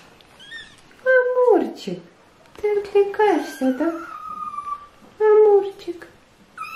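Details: Hungry British Shorthair kittens meowing indoors while being fed and wanting to eat; several drawn-out, harmonic meows, some sliding down in pitch, others held level, interleaved with people talking in Russian.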